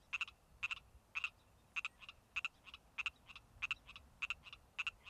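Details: A male Pacific tree frog calls in late spring, giving bright two-part 'rib-it' notes repeated steadily about every half second.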